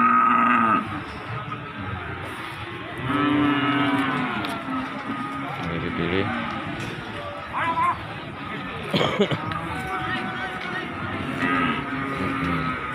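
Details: Cattle at Margorejo market in Pati, Indonesia, 13 May 2020, during unloading from a truck; scattered drawn moos, some loud and close, others distant, with men talking throughout and background rumble.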